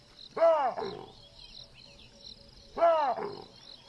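A monkey gives two loud, arching, harsh calls about two seconds apart over steady insect buzzing.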